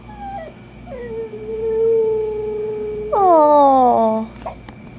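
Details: Dachshund howling indoors: a long sustained tone held near one pitch for about two seconds, then a louder falling howl with rich overtones sliding downward, with a steady electrical hum underneath.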